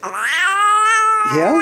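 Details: A big male house cat, angry and refusing to be held, gives a long drawn-out protesting meow, steady and harmonic, then a short rising second cry, with a person talking softly around it.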